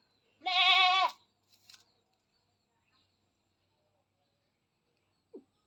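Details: Domestic goat held for artificial insemination on a goat farm gives one strong, wavering, nasal bleat of about a second, then near silence with a few faint clicks and a brief low sound at the end.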